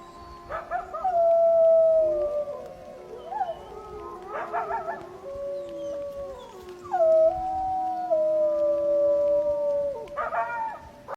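Several wolves howl in long, sustained tones that slide slowly downward, broken by short bursts of yips.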